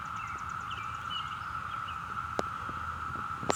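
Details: Continuous droning chorus of Brood V cicadas, recorded in Ohio in June 2016; soft bird chirps rise above the steady hum, with two sharp clicks near the end.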